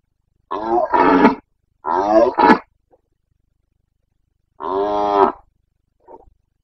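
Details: Red deer stag of the Carpathians, Bucovina, roaring in the autumn rut, 29 September 2022: loud, harsh, throaty bellows in bursts, two paired roars, then a longer one after a pause, and a faint short grunt.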